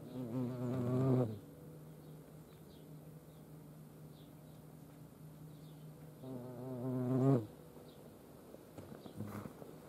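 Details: Flying European hornets at a feeding place in Dohr, Eifel, Germany: two loud, deep, wavering buzzes that swell and fade as insects pass close, about five seconds apart, with a faint low hum and quiet outdoor background between.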